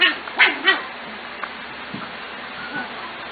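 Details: Corgi puppies from three litters, 5–6 weeks old, recorded June 25, 2014, being called out to play: three quick high-pitched yips in the first second, then a few faint squeaks over low background noise.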